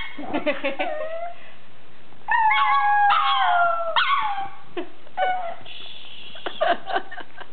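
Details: Pet pug 'singing' with short yips and whimpers, then a sustained falling howl in the middle and further yelping bursts toward the end.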